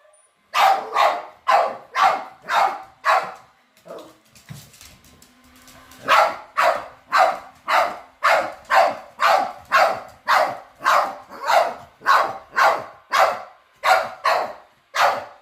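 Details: On their first encounter with a robot vacuum, pet dogs give six quick barks, fall quiet for about two seconds with faint rustling, then resume with a long, even string of around fourteen loud barks.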